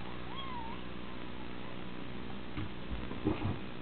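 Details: Cat playing fetch indoors utters a short, soft meow that rises then falls near the start, followed by quiet rustling and a few light thumps.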